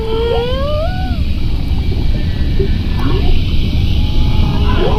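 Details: Whale song recorded from a boat through a self-built amplifying device: long, smooth tonal moans that rise and fall, over a deep rumble of water and engine noise.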